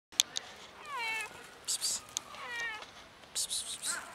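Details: Mother cat with two kittens in a safe garden, two high, wavering meows each about half a second long, with clicks and brief rustling sounds between them.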